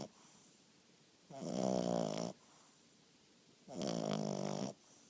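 An English bulldog puppy snores in loud, rattling rasps, each breath lasting about a second.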